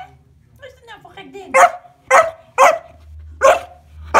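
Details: Bowie, a 14-week-old Kuvasz puppy playing with scales, barks five times after a person's brief spoken words at the start; barks are loud and evenly spaced.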